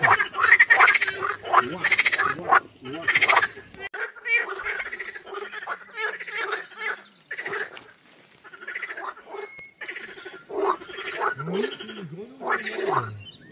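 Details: Mating-season frogs chorusing at a water-lily pond during a hot, sunny walk: rapid rattling croaks, about three to four bursts a second at the start, fading then resuming, with a brief laughing voice toward the end.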